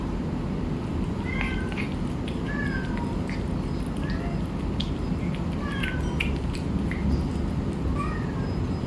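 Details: Hungry stray cat being fed in a village in Bangkok, Thailand; short rising and falling meows repeated through the clip over a loud, steady low rumble of background noise.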